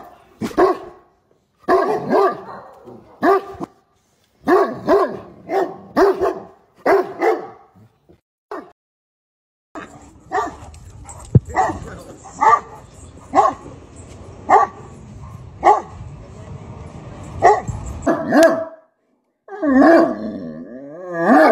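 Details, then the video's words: Clusters of short barks, yips and whining from a Great Dane talking to his owner. A steady hum runs through the middle section, and a wavering whine-howl comes near the end. "The Great Dane that Loves To Bark, I Mean Really Bark!"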